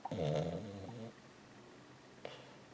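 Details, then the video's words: Old 14-year-old female Lhasa Apso asleep indoors during a walking dream; one buzzy, rumbling snore of about a second, fading out, then quiet with a faint click later. "Lhasa Apso Small Dog Snoring & Walking Dream"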